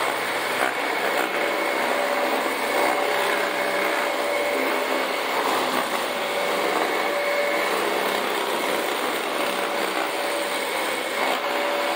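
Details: Steady high-pitched engine or power-tool whine with a constant hum throughout, and no animal sound present.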